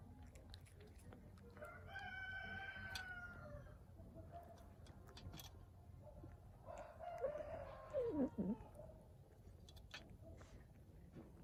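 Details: Hungry stray cat on the street vocalising as it eats: a long, tonal, wavering cry, then a second call that slides sharply downward, with crisp chewing clicks and a low background rumble throughout.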